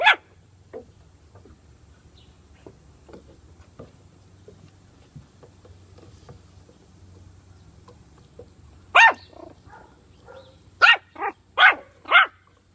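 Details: Puppy with bully sticks mostly quiet at first, only small clicks and soft sounds, then around nine seconds in a bark followed by a burst of four high, sharp yaps at the end.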